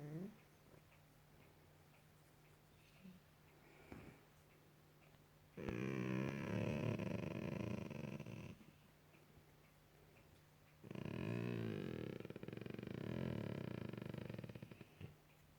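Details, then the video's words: Pet Golden Retriever on a couch at night, vocalizing while its ear is scratched; two drawn-out, rumbling moans of about three seconds each, separated by quiet with a constant low electrical hum. "Dog making weird noises"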